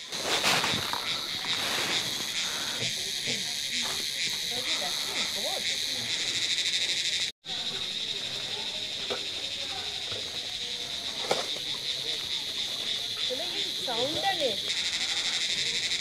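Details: Cricket calling in a pine forest beside the road near Dow Hill, Kurseong, India: a loud, unbroken high-pitched shrill trill holding steady, briefly cut off midway, with faint rustling and a soft human voice in the background.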